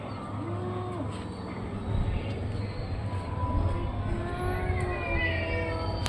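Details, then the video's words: Orange and white cat with a short arched meow, then longer wavering and rising meows, over a continuous low droning background noise. "caty funny sounds"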